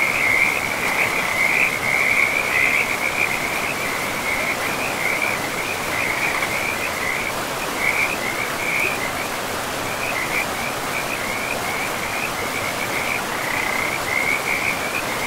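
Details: A chorus of frogs beside a forest river: strong, rapid trilled calls repeat at a high, steady pitch almost without pause, louder early on, over the dense, constant roar of flowing water.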